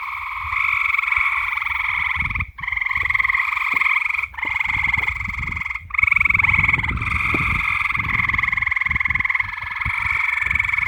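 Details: Night-time frog chorus of drawn-out buzzy trills, each lasting a few seconds and separated by brief gaps, over a soft low rumble of background noise.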